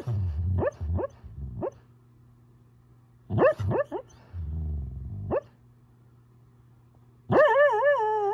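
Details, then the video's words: Male Siberian Husky whooping in his sleep: bursts of short rising yelps with soft huffing between, ending in a longer wavering, howl-like whoop. "Husky sleep whooping"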